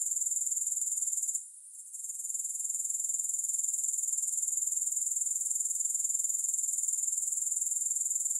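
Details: Grasshoppers give a steady, shrill high-pitched trill that pulses about four times a second, with no music; the sound briefly drops and fades back in after about one and a half seconds, then continues evenly.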